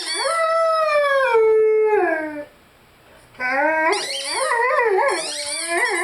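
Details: Howling Rhodesian Ridgeback named Lyle, singing with his favourite toy: a long sliding howl falling in pitch, a pause of silence, then quicker wobbling howls mixed with high squeaky-toy notes.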